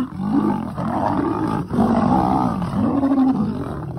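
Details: Thornybush lion, from the Northern Black Dam males or the Avoca Pride: loud moaning roars in overlapping swells, each rising and falling in pitch, repeated roughly every second over a dense, gravelly rumble.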